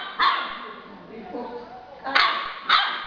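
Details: Two-month-old yellow Labrador Retriever puppy yapping three times, short bright high barks spaced irregularly, while a person repeatedly asks it in Portuguese to give its paw.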